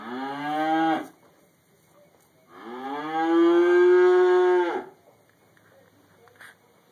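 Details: Cow eating hay in a barn, other cows nearby, recorded on a mobile phone camera: a short falling moo, then after a pause a longer, loud, sustained moo with rich harmonics lasting about two seconds.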